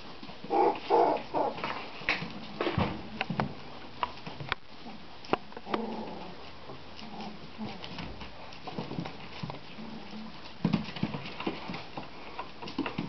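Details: Playing border collie pups, three weeks old and seven in the litter, let out clusters of thin whining squeaks and short yelps, with rustling and tapping in a small room.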